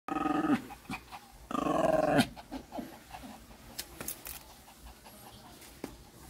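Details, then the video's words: Newly arrived Shih Tzu puppies in 2014, one of them giving two loud, drawn-out harmonic whines near the start and middle, then fainter scattered squeaks and small knocks indoors. "Shih-tzu chegou mais filhotes"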